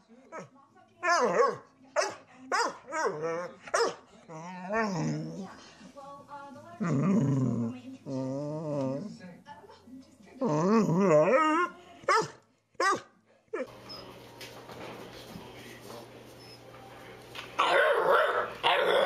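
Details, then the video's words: Great Dane puppy demanding attention with a run of quick yips followed by long warbling, wavering grumbles and moaning vocalizations, ending in a harsh noisy stretch with rustling and a low steady hum. "Great Dane Wants Attention Compilation"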